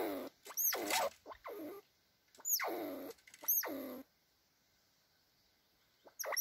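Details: Red squirrels squabbling to show who is in charge: bursts of rough, descending squeals and chattering cries in quick clusters, then a quiet gap before one more squeal at the end.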